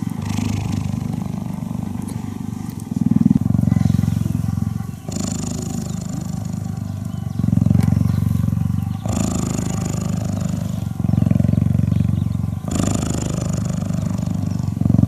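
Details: Cheetah purring while cuddling: a deep, rough, steady rumble in alternating stretches of about two seconds each, likely following the animal's breaths, with faint hiss and rustle above.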